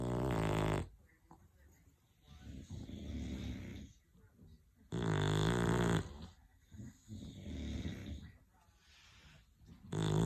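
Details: Snoring English Bulldogs: loud, rasping, rumbling inhaled snores roughly every five seconds, with quieter snuffling, wheezy exhales in between.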